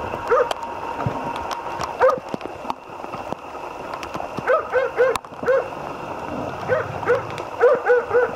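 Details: Jämthund named Otis barking during a moose hunt: short clipped barks in irregular bursts, some in quick runs of three or four, with a steady hum and scattered clicks behind.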